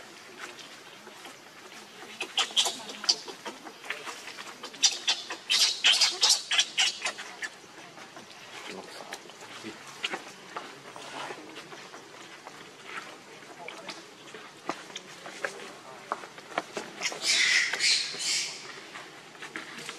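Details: Hungry baby monkey Leo crying and begging its mother for milk: shrill, high-pitched screechy cries in rapid clustered bursts, loudest between about two and seven seconds and again near seventeen seconds, with quieter clicks and rustling between.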